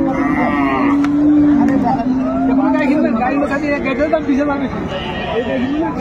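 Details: Cow at the Ambari cattle market in Dinajpur, 22 April 2024, where cows with calves are sold; a long, low, steady moo holds for about two seconds amid constant crowd chatter, bargaining voices and background music.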